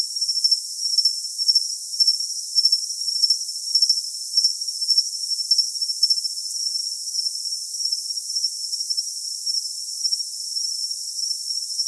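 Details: A cricket sings a sharp, high ringing note broken into regular chirps about every half second, strongest early on and settling into a steadier hum later; no background noise.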